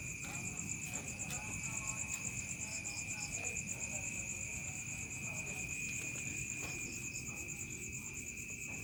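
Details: Crickets calling in a village as dusk falls into night: a dense, evenly pulsed very high trill dominates, with a steadier lower whine beside it and a few faint chirp bursts early on.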